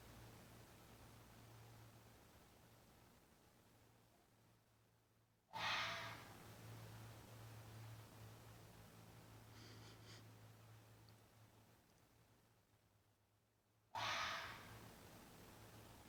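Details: Red fox in mating season giving two short, raspy screams about eight seconds apart, each an abrupt breathy burst; faint steady hum fills the pauses between calls.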